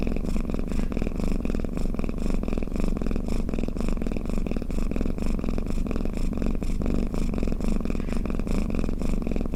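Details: Continuous low purring snore from a cat, a dense vibrating drone with gentle rhythmic pulses of breath repeating steadily throughout.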